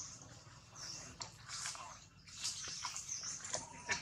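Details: Newborn baby monkey Jody crying loudly while held by Spring, a kidnapper; shrill, harsh, high-pitched wails rise and fall in rapid bursts separated by brief gasping pauses, with faint rustling underneath.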